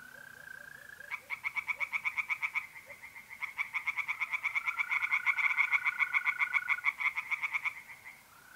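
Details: Tree frogs bursting into fast, clicking pulse series at a pond by night in mid-April, north-eastern Italy, rising in loudness mid-way. A steady mole cricket trill opens the clip and carries on beneath the frogs.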